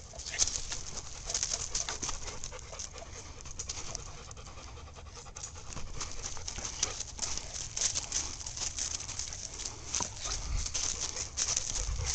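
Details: Leonberger named Fanny, filmed with Gracie on 29 January 2010; steady breathy panting runs through the whole stretch as rough, hissing pulses over a low background rumble.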